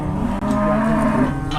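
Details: Brief, steady, low-pitched moo from jumbo cattle at an Indonesian market during morning bargaining, a single sustained lowing note with a faint murmur of people behind it.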